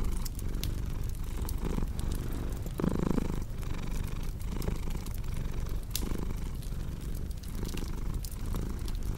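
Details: Cat purring with a crackling fire: a soft low rumble in slow rhythmic waves, with a brief tonal vocal sound near the third second and scattered snaps of burning wood.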